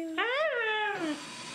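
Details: Siberian Husky named Mishka 'talking' an 'I love you' back: a single drawn-out, harmonic, howl-like vocalization lasting about one second, gliding up then sliding down and fading, in a quiet room.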